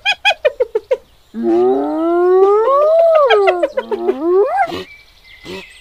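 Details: Hyena in Kruger National Park, South Africa: a quick series of short, sharp yelps, then a long rising whoop that swells and falls back, followed by a shorter rising whoop and clipped notes.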